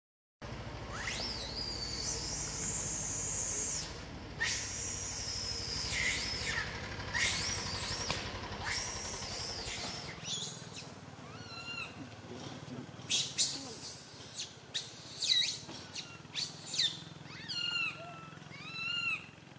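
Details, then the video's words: Little monkey Santo crying loudly on a tree branch while his mother Sara cannot care for him: long, high, arching squealed cries, then a run of shorter rising and falling squeaks, with a faint background hiss. "Little Monkey SANTO cries on the branch tree so loudly Mama monkey SARA can't take care of him"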